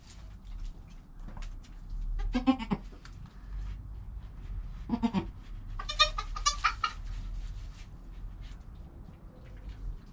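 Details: Newborn goat kid Joel, within an hour of birth, beside his calm mother Penny, recorded on a GoPro: short harmonic bleats near two and a half and five seconds, then a longer wavering bleat around six to seven seconds over low rumbling background.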